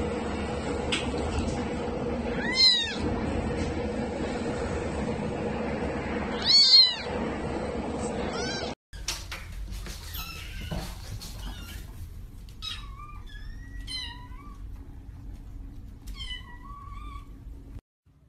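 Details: Kittens mewing: three loud, high, harmonic-rich meows in the first nine seconds over a steady background hum, then a quieter stretch with thinner, higher mews rising and falling.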